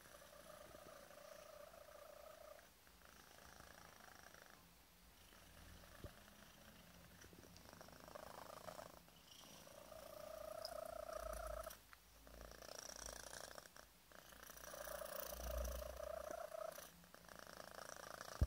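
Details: Five-month-old male cat purring hard while having his tummy tickled, mixing a faint whistle into the purr; soft low rumbling broken by several thin whistled tones that swell and fade, with short quiet gaps between.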